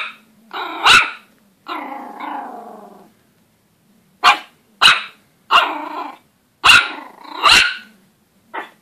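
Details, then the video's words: A Pomeranian puppy barking at his own reflection gives sharp, high-pitched yaps with a longer rasping growl between them. "Pomeranian puppy barking at his own reflection"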